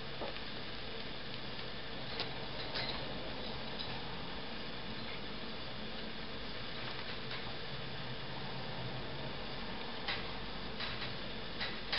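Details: Steady indoor hum with faint scratchy pattering and light clicks, but no clear animal calls. The background stays even throughout, broken only by a few soft taps.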